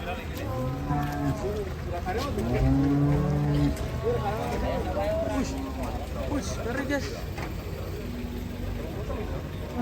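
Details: Rampaging cow unloading from a truck, called rare and scary: several short, low moos, some with a falling end, spread across the stretch among people talking and general outdoor bustle.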